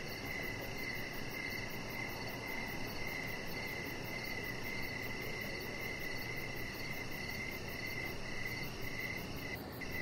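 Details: Evening crickets chirping near a deck where a Chihuahua puppy named Rocket lies under decoration lights; steady high pulsing trills run throughout, a fainter higher chirp layer above, soft low background noise, a brief tap at the end.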